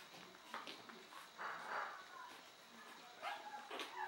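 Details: Chihuahuas at a breeding kennel: short, sharp, broadband barks burst out irregularly, a longer one near the middle and two more toward the end, with thin whiny tones and faint human voices between them.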